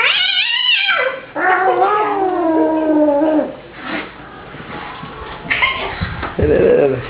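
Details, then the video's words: Persian cat in a fight with an Indian cat: harsh, wavering caterwauls and snarling cries, broken by short pauses, with people's voices talking in the background. "Persian cat fight with Indian Cat"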